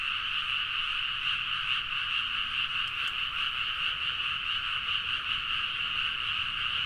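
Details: Rice-paddy frogs in rural Nagaoka, Niigata, chorusing loudly in the middle of the night, recorded on a Zoom H4n; a steady, dense mass of rapid croaks, with one brief click near the middle.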